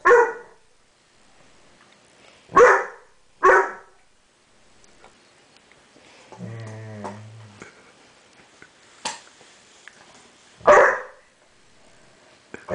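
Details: Seven-month-old dog barking at its own reflection in a mirror: five loud, sharp single barks spaced a second or more apart, with a brief low droning rumble in between, otherwise quiet.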